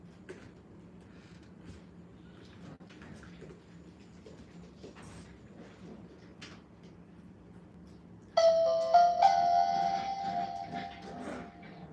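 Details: A low steady room hum fills the first eight seconds, then a bright ringing doorbell-like chime sounds and carries on to the end.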